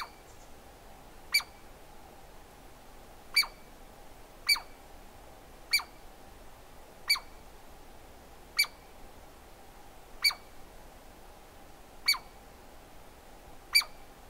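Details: Nine crisp, ringing calls of a Douglas squirrel, spread over about fourteen seconds at irregular gaps of one to two seconds, each a short sharp click with a high tonal ring, over a steady faint hum.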